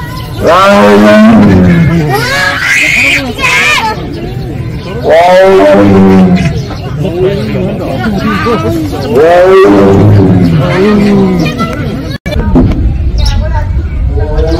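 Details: Penza's family of Siberian tigers at Seoul Grand Park in South Korea. Repeated 'aung' calls come as long, rich, moaning vocalizations every few seconds. Human voices murmur underneath and grow more noticeable toward the end.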